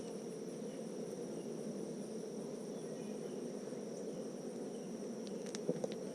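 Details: Low, even drone of many honeybees during a hive inspection on a farm in the foothills of Tennessee's Smoky Mountains, steady for several seconds, with a few faint ticks near the end.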